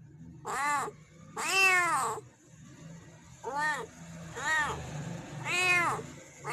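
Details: Male cat calling a female cat in heat: five drawn-out, arching meows, some long and wavering, spaced about a second apart over a steady low hum.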